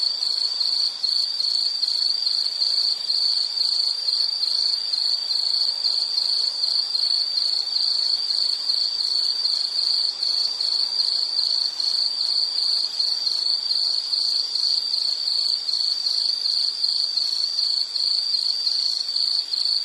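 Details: Continuous insect chorus for calm study or sleep listening: one piercing high note in quick, even pulses, steady for the full length, no other sounds.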